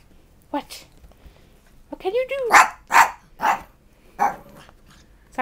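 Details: Beagle sharing a home with two-year-old chihuahua sisters Snap and Xena lets out four loud, harsh barks spaced about half a second apart, after a woman's voice, which returns briefly at the end.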